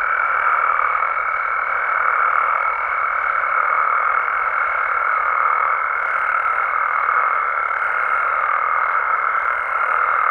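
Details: Nighttime amphibian chorus from Mexico, many frogs and toads croaking together in an even, unrelenting drone, topped by a constant high-pitched tone across the whole stretch.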